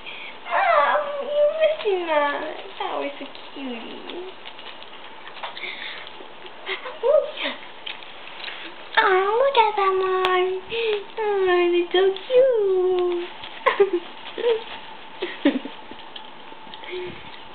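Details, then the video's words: Brown tabby and white male Persian kitten indoors, giving a run of short, falling, harmonic mews that come in clusters, several close together around the middle, while a woman speaks admiringly over it. "persian kitten"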